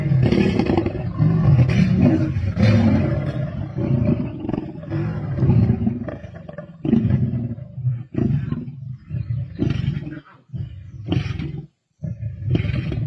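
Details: Black Dam male lions and Avoca Pride lions at a kill, 31 March 2024, Sabi Sands: rough low growling in rapid pulses, interrupted by crunching and tearing sounds, fading into short gaps toward the end.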